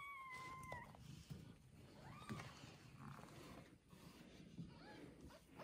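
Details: Domestic cat with her newborn kittens, one day after birth, settled in a soft bed at home; a thin, steady, slightly falling mew opens the clip, followed later by a fainter arched mew over a low, muffled indoor rumble.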